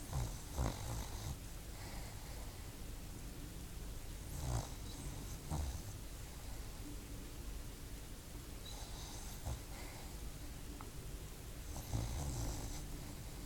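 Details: Dog asleep, snoring: soft breathy snorts come at uneven intervals, four or five in all, over a constant low, murmuring background rumble in a quiet room.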